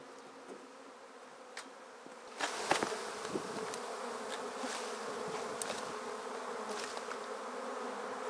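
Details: Honey bee swarm being shaken from a tree straight into a swarm basket, bees fanning as the queen settles inside; steady low droning hum with sharp knocks and handling clicks from the basket partway through.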